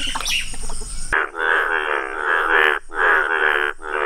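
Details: An Indian bullfrog (Hoplobatrachus tigerinus), a rare yellow-coloured frog, gives loud, rasping croaks in long pulsed bursts, each lasting over a second.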